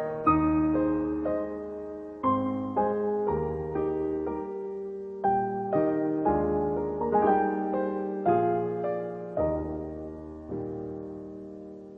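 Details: Soft, lullaby-like piano music plays as slow repeated chords and melody notes. No animal sounds are heard.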